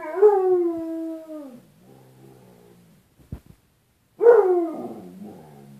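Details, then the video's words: Bruce Wayne, a pet dog, howls at the "other dog" he sees reflected in a closet door's glass; a long drawn-out howl sliding downward, a brief quiet gap, then a shorter falling howl. "Bruce Wayne discussion with other dog"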